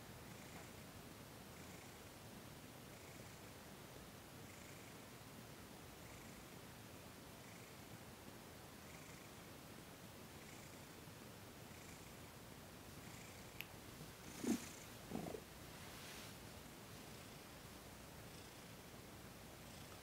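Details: Thomas the cat purring quietly during a massage and Reiki session on December 28, 2021, a soft continuous purr swelling with each breath roughly every one and a half seconds, interrupted near the end by brief rustling handling noises.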